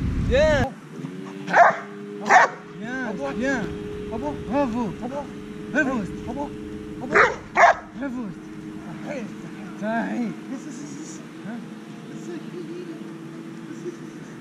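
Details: Ten-month-old Dobermann at training, giving a series of short, sharp barks and higher yips in irregular bursts, some spaced about a second apart, over a steady mechanical hum with human voices mixed in.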